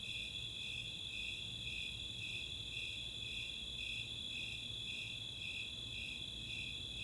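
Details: Snowy Tree Crickets and Four-spotted Tree Crickets on a summer night in Boulder, Colorado's Chautauqua open space; steady ringing trill overlaid by repeated high chirp pulses about twice a second, with a quiet low drone behind.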